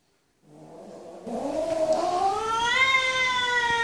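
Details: Angry kitten meowing loudly: after a faint low start, one long drawn-out meow rising and then holding steady, harmonic and strident, growing louder toward the end.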